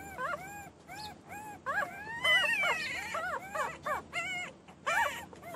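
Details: Newborn puppies crying and whining: a busy overlap of high, arched whimpers with clear harmonics, some rising and falling glides, coming in short bursts and longer wails, several voices at once, little other sound.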